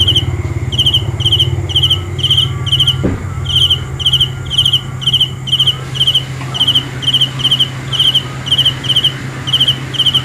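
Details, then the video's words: A cricket (Hmong kab ciliv, Lao maeng chi nai) repeats short high trilled chirps roughly twice per second at a steady pitch, over a constant low mechanical hum and a single sharp knock. "The best sounds of Cricket 《 Suab Kab Ciliv Quaj Zoo Heev》 ( ສຽງແມງຈີ່ນາຍຮ້ອງດີໆ )"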